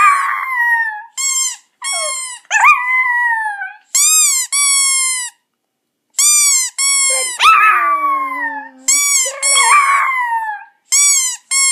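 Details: Domestic Chihuahua, a pet, still howling along to a squeaky toy in August 2014; high harmonic squeaks trade off with drawn-out howls that slide downward, some bending lower near the end, with brief pauses between bursts.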